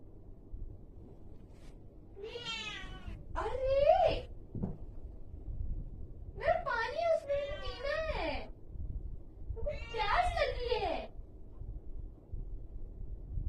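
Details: Angry cat giving three drawn-out, wavering yowls, each about one to two seconds long, with rising and falling pitch and harsh edges. There are short pauses between them, all heard in a quiet indoor space.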